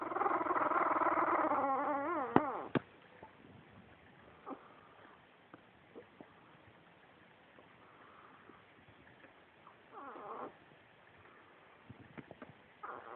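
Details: Roxy's two-week-old puppies making cute noises: a loud wavering whine at the start, then scattered soft squeaks, whimpers and a faint whine cluster near the end, recorded on a phone.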